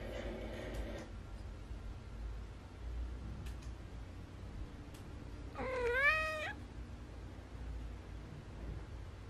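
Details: Pet cat Mong, a neutered male Munchkin Napoleon, begging its owner for treats at home; one clear, rich meow that climbs and then sags, with faint clicks and quiet room hum around it.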